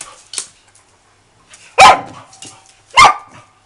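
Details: SOM, a dog at Phuket Dog Resort, during its first play session with another dog, gives two loud, harsh barks about a second apart after a short soft yip; otherwise quiet indoors.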